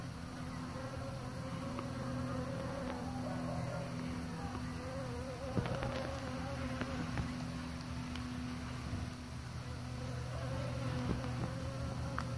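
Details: Several overlapping buzzing wingbeats from bees pollinating flowers: deep droning hum with shifting pitch bands that swell and fade, and occasional short crackles around the middle.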